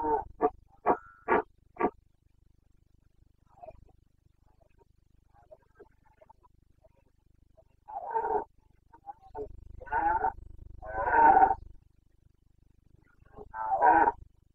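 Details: Red deer stag of the Carpathians in Bucovina, rutting in the breeding season on 29 September 2022: five quick, clipped grunts open the recording, then after quiet come several drawn-out, harsh roars in a loose irregular series.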